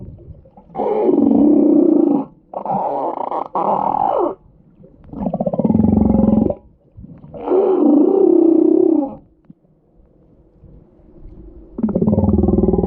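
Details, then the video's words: Humpback whale, its crying or snoring heard as a run of harsh, drawn-out roars of one to two seconds each, separated by brief pauses, with a rumbling low undertone. "Humpback whale crying or snoring"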